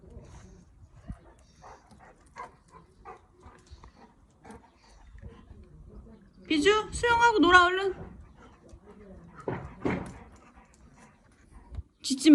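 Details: At a house pool in Cheongju, the big-brother Golden Retriever frantically voices protest as the youngest dog swims alone. One drawn-out, wavering, whining bark-howl is followed by shorter yelps, amid quiet talk and water noise.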